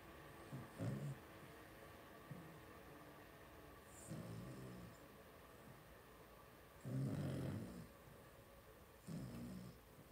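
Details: A litter of five two-week-old blenheim Cavalier King Charles Spaniels, born to Paris and Spike at New Year's, gives husky, snore-like grunts in the puppy pen. A few short bursts are spaced unevenly, and a longer, louder one comes near the end.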